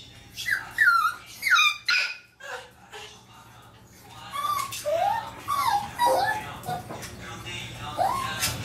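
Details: Maltese dog just groomed indoors, upset after expecting to go for a walk, whimpering in thin, rising and falling whines. The whines come in short bursts. A person talks nearby and soft music plays in the background.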